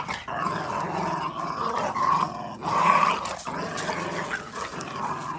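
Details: Red Boston Terrier puppies play tug of war, growling like little wolves in fun; sustained raspy rumbling broken by brief gaps near two and a half and three and a half seconds, loudest around three seconds.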